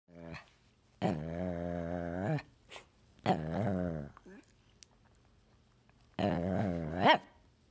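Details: Two dogs ganging up on their owner: three long, loud, grumbling growl-howls of about a second each, low and richly harmonic with a wavering pitch, separated by quiet gaps and a few short huffs.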